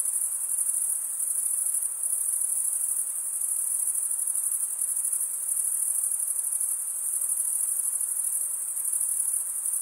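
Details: Male crickets chirping by scraping wing against serrated wing vein; an unbroken, very high, buzzy trill with gentle waves in loudness and nothing else audible.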